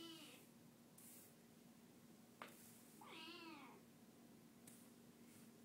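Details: Kitten recovering from being sick, crying indoors to be held; a single drawn-out, wavering meow arches up and falls midway through, with a fainter cry at the start and a few soft clicks in a quiet room.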